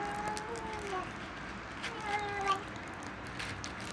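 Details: A hungry kitten gives thin, wavering mews and little grumbling sounds while it eats.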